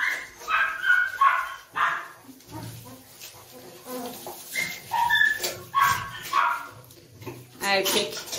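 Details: Male Doberman puppy giving short high-pitched whines and yips, some rising and falling, in bursts of about a second, repeated several times, with a person speaking over and between the calls.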